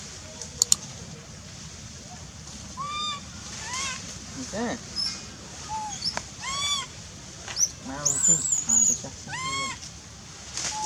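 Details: A hungry wild baby monkey in the forest of the Angkor Park area cries loudly over and over with high, arching wails, calling its mother.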